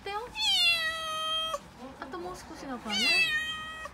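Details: Six-month-old female calico kitten Mikene cries in fear at delivery men carrying a refrigerator into a home in Okinawa; a long, high, sustained meow, then a shorter rising-and-falling one, with a woman's voice murmuring between.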